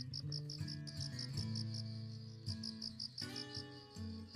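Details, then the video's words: Crickets chirping in a garden bed outside a door at dawn in autumn after rain, in cool weather: rapid high pulsed trills running almost continuously, laid over soft, loud instrumental music with sustained low tones. "cricket sound"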